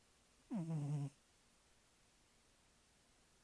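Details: One drawn-out, low snore from a sleeping cat, sliding down in pitch and ending abruptly, followed by quiet.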